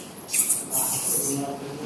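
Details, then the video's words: Bats squeaking inside a cave in the Philippines whose floor is covered in their guano; a dense run of very high, shrill chittering squeaks, with soft voices and rustling underneath. "Ayan, may naririnig ako mga tunog ng paniki. Ayan po guys."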